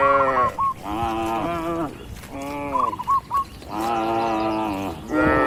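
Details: Cattle in a green field while grazing; three long, steady moos sound in turn, with a few small chirps between them.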